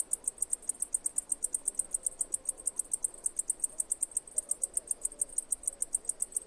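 A cicada sings, a very high, shrill buzz pulsing steadily about six times a second.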